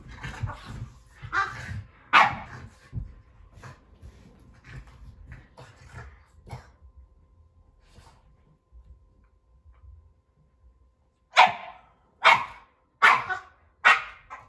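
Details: Keeshond and Boston Terrier play-wrestling indoors in a living room; scattered sharp barks and yips early, a quieter scuffling stretch, then four loud barks in quick succession near the end.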